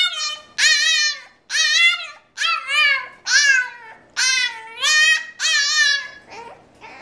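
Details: French Bulldog named Frankie singing the blues because he cannot come out and play; bright, tonal whines in quick succession, each sliding up and falling, close and loud indoors, trailing off into softer whimpers at the end.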